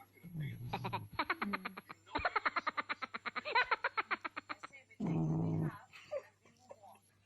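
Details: Frog described as sleeping and snoring, with a big chin and body: rapid rasping pulse trains, a short burst then a longer run of about three seconds at roughly eight pulses per second, followed by a human voice and faint speech.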